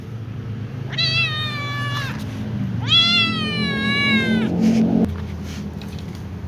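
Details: Little ginger cat meowing but avoiding food near a catnip plant; two drawn-out, steady meows about two seconds apart, the second longer and louder, over a low indoor hum.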